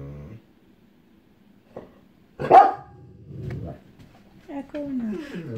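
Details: Echo, a female pet dog who dislikes storms, barking and whimpering as lightning starts in the distance before thunder; a sharp single bark mid-clip, then descending whimpering whines, with a person speaking.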